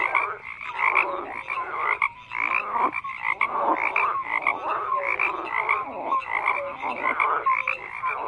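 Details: Numerous frogs calling at once, harsh buzzy croaks overlapping in a steady dense wall of sound, short clear tonal notes repeated among them, occasional brief lulls.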